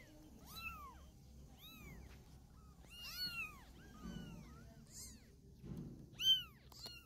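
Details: A mother cat carries her young kitten in her mouth to relocate it. High, piercing meows bend up and down in quick succession, some clustered, and a louder thump comes near the end.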